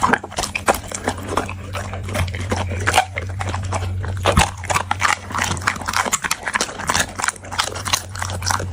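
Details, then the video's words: Dog chewing food: steady stream of crisp crunches and wet smacking clicks, uneven in rhythm, with a continuous low droning hum underneath. "The Sound Of Dog Eating"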